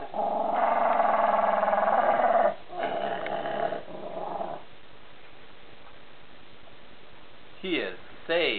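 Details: Jack Russell Terrier giving a sustained harsh growl for over two seconds, then a shorter growl burst, followed by quiet and two brief sweeping human vocal sounds near the end.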